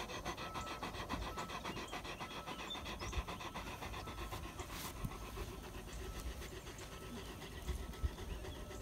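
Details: Stormy, a Great Pyrenees farm and guardian dog, rides along in a Kubota utility vehicle: soft, steady panting breaths pulse several times a second over a low, constant rumble, with no voices heard.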